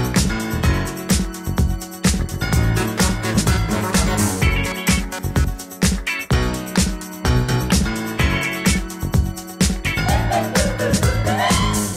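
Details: Upbeat funk-disco music with a steady beat plays throughout, and no animal sound is heard.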